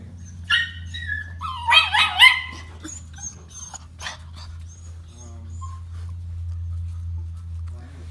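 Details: Puppies let out high, whining whimpers and short yelps, with a brief cluster of squealing, rising cries near the middle, then fading whines over a steady low hum as a person speaks encouragingly to them.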